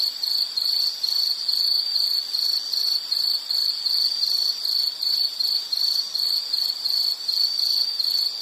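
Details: Insect chirps at a high steady pitch, short pulsed phrases repeating roughly two to three times per second throughout, with light background hiss and no other sounds.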